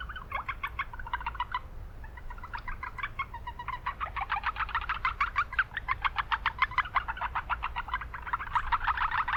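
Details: Japanese brown frogs calling at a wetland in town with much noise; rapid staccato pulses, sparse at first then building into a steady fast train of clicking notes, other frogs overlapping, low hum throughout.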